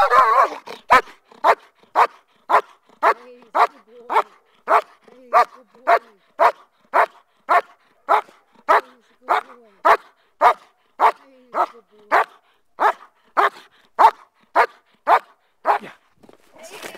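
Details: Male German Shepherd guarding during schutzhund protection work gives a long run of loud, sharp barks, about thirty in all, spaced roughly every half second at a steady pace, with little else audible.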